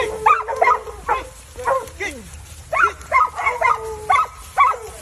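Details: Dogs on an outdoor field trial in North Carolina that caught a coyote, barking and yelping in irregular bursts of sharp harmonic calls, a few stretched into brief bays, over a constant low rumble.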